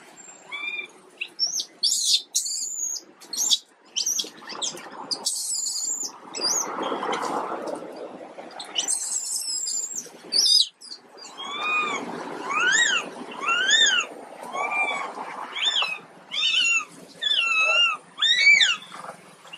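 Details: Poorly baby monkey Quinton: first scratchy high clicks and rustling, then a run of short, evenly spaced, arched squealing cries over the last half.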